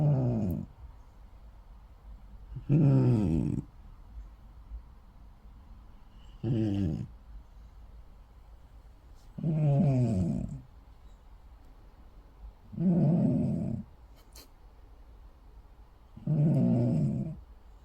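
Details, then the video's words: Sleeping cat snoring: rough, low, buzzing snores about every three to four seconds, each lasting about a second, with quiet gaps between. "고양이 코골이"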